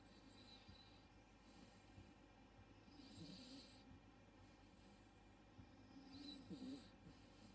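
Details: A 3-month-old male Miniature Schnauzer puppy, asleep on his back, snores softly, low rumbling breaths coming a few seconds apart.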